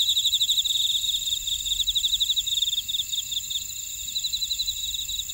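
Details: Jeju buckwheat-field insects at Oradong, South Korea: bright rapid chirping pulses ride over a sustained high ringing drone, strongest in the first half and growing softer and sparser afterward.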